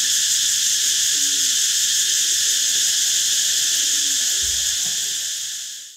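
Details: Cicadas singing a constant shrill, pulsing buzz, with faint soft calls low underneath, the sound fading out at the very end.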